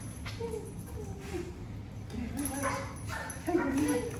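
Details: Max, a German Shepherd, meeting his owners again, lets out drawn-out wavering whimpers that rise and fall, the loudest near the end, with people talking softly in the background.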